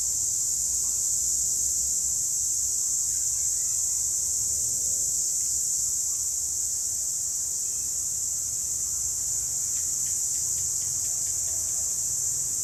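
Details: Cicadas in the wild, a steady, unbroken high-pitched shrill buzz holding level for the whole stretch, with faint low rumble beneath and a few brief soft ticks.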